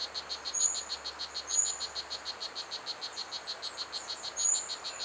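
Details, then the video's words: Steady buzzing chirps of the strawberry poison dart frog, about four to five a second, recorded at Pierella Ecological Garden. Thin, very high whistled notes from other animals cut through several times. "The Song of Blue Jeans - a Poison Dart Frog"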